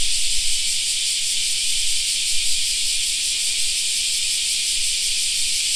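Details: Summer park cicada chorus: a constant, high, sizzling drone that never pauses, with only a faint low rumble underneath.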